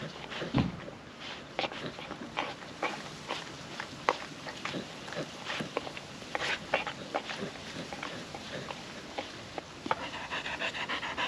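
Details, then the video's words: Wet licking and chewing from a happy puppy dog, female, working wet food out of a food trapper mat on a windy day; irregular sharp smacks and clicks over a constant low hiss, a louder thump near the start. "Wet food ASMR dog eating sounds"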